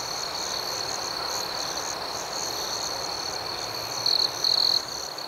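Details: Nighttime crickets chirp in a dense, high, even chorus. Near the end, two louder, sharper trills rise above the steady pulsing drone.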